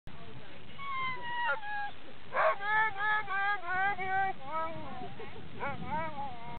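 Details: A sled dog in Skagway, Alaska howls in a series of wavering, rising and falling tones.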